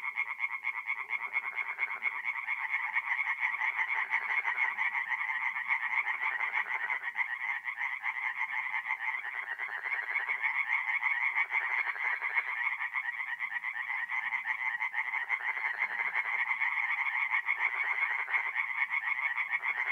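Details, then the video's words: Singing tree frogs by night in a north-east Italian forest pond during mid-April; a thick, less even chorus of many overlapping croaking callers, pulsing continuously with rising and falling density. "relaxing forest pond by night with singing tree frogs"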